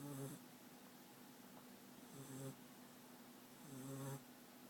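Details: American Staffordshire Terrier puppy France, from Rostov-on-Don, asleep and snoring: three low buzzy snorts with faint whistling overtones, spaced about two seconds apart, in a quiet small room.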